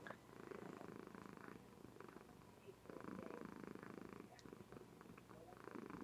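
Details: Female Somali cat purring contentedly while asleep indoors, recorded by webcam: steady buzzing rumble rising and falling in long waves about every two seconds, a woman's soft voice faintly audible.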